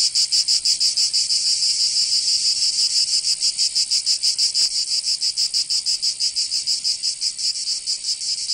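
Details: Summer chorus of cicadas in Provence, in the south of France, a continuous shrill buzz beating in quick even pulses, roughly three each second, steady and loud from start to finish.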